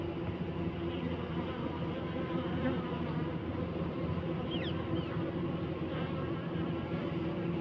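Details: Honey bees inside a hive, buzzing to regulate temperature: a dense, continuous low droning hum with steady layered tones, and a few faint high chirps of a bird briefly around the middle.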